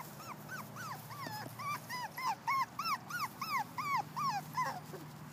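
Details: Diggle, a petite miniature poodle from Pear Tree Poodles in North Carolina, available as of May 19, 2015, whimpering: a run of high, arched whines, each rising then falling, repeated about three times a second over a low steady hum.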